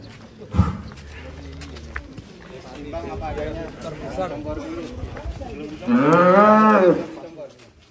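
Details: Belgian Blue cattle at an extreme-class cattle contest during weigh-in. Voices and background talk come first, then one loud, drawn-out moo with a rising-then-falling tone lasting about a second near the end.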